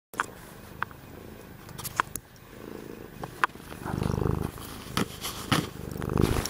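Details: Domestic cat, one of two cats named Tokeni and Willow, purring: a low rumbling drone in pulsing bursts, strongest in the second half, with scattered sharp clicks and rustles on top.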